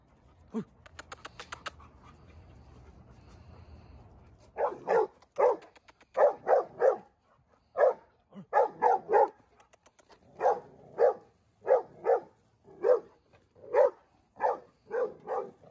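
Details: Seven-month-old male Dogo Argentino losing his temper in a first-time reaction. A brief clatter and low hum come first, then loud, deep barks in a steady run, about one every half second to second.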